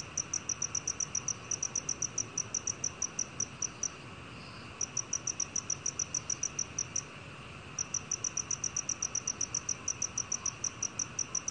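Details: Black field cricket from Korea's National Institute of Biological Resources collection, 2020. Rapid high-pitched chirps come in runs, broken by pauses around four and seven seconds, then resume at an even pace.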